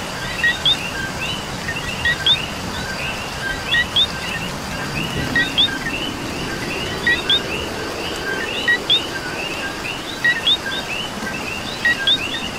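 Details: Puerto Rico coqui chorus in the rain: bright two-part 'co-qui' chirps repeat several times a minute from the loudest frog, set against a background of many fainter callers and continuous rainfall.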